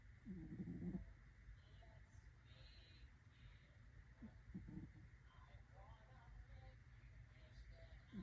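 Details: Kitten asleep and snoring, possibly an orange kitten, giving soft gravelly snore bursts near the start, middle and end, separated by quiet breathing and a faint background hum.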